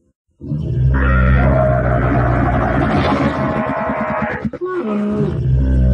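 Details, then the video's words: Camel giving a long, deep, droning bellow with stacked tones, breaking into rapid pulsed gurgling near the end, then a short lower groan. "Deve sesi/Kamel-Sound/Camel sound/Dəvə səsi/Son de chameau/صوت الجمل"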